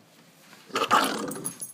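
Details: A female Yorkshire terrier gives a rough, snarling growl, sounding far bigger than she is, guarding something when someone tries to take it away.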